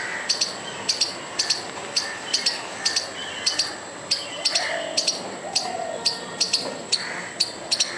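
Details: Agitated squirrel calling furiously to frighten a dog and a person, giving crisp double-clicked chips in an uneven, insistent series roughly twice a second, over soft background hiss.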